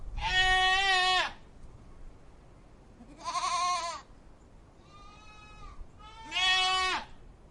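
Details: Goat giving four loud, quavering nasal bleats, each roughly one second long, spaced a few seconds apart, the third softer, over faint background noise.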